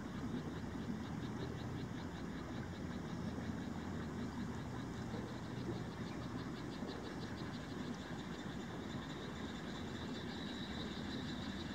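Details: Indian rice frog calling in Himeji, Hyogo Prefecture, Japan, recorded on a COOLPIX AW130 camera; faint, rapid high-pitched pulse trains repeat throughout, half-buried under a steady, dense low rumble of background noise.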